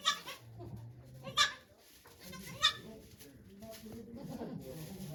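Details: Goat named Okayu at Yoshigake Farm on 3 May 2023, during Golden Week, giving birth to two kids while many volunteers watch; two brief, bright, nasal bleats stand out above low murmuring voices.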